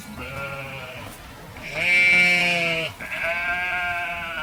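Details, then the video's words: A sheep gives a long nasal bleat that swells to a loud, quavering peak near its middle and breaks off sharply, then starts again as a steadier bleat. A low hum sits underneath. "Suara Domba | Sheep Sound Effect Videos"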